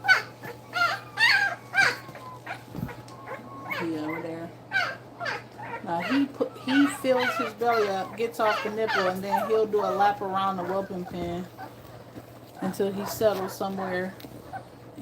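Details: Nursing puppies, two weeks old, cry in a run of loud harmonic whines and squeals, several overlapping, wavering up and down before fading into softer whimpers, with a low hum underneath.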